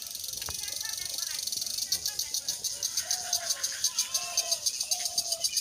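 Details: True crickets by day in a peaceful Bangladeshi village: a high continuous buzz gives way to evenly pulsed chirps, over scattered mid-pitched whistled bird calls.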